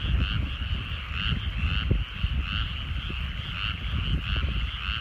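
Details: Evening chorus of frogs in rice fields in the countryside at sunset, pulsing rattly croaks repeating in waves roughly every half second, partly masked by heavy low-pitched rumble.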